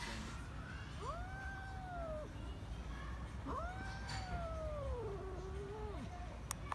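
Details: Neutered female cat angry at her kittens, giving two long, wavering, drawn-out yowls that rise and fall, each about a second or more, over steady low background noise.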